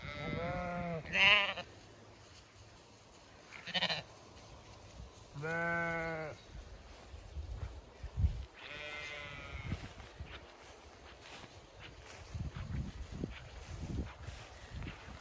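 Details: Zwartbles sheep, ewes with fast-growing lambs, on a regenerative farm in County Kilkenny, Ireland, on a hot May day, some in shade and others grazing. Four harmonic bleats, short and long, over soft rustling and footsteps.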